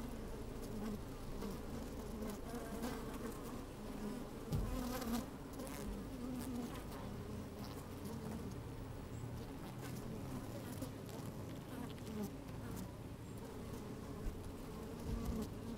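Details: Honey bees working inside an opened hive on a fine sunny day, microphone slid down among the combs: a dense, continuous low hum with wavering tones and soft clicks of bees moving about.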